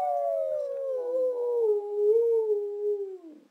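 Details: Female brindle Boxer Abby singing a single drawn-out howl that starts higher and glides slowly downward, wavering as it goes, then fades into a soft breathy ending.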